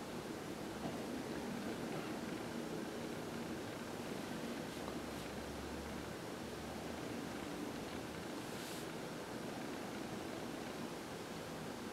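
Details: Even broadband hiss like wind or distant surf runs throughout, with faint rustling and no animal sounds.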